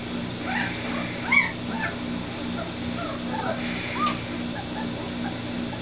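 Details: White Shepherd puppies, a three-week-old litter, give short high squeaks and whines at irregular moments over a constant low background hum.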